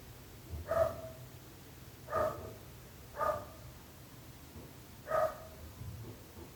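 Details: {'_': 'A dog barks repeatedly, four clipped barks roughly one to two seconds apart, against quiet ambient hum.'}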